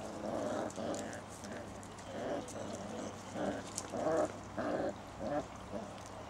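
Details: Basset Hound puppies aged six weeks at play outdoors in a garden, both parents present, September 2009: short throaty growling bursts come roughly every half second, interspersed with a few brief whimpering squeaks over a constant low background hum.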